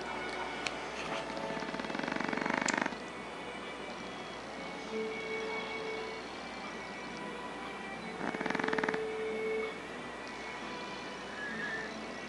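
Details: Tico, a pet Chihuahua that has lived with the family for years, snoring while asleep on the night of 11 April 2011; two loud breathy rasping snores near two and eight seconds, a thin whistled tone between them, steady indoor hum beneath.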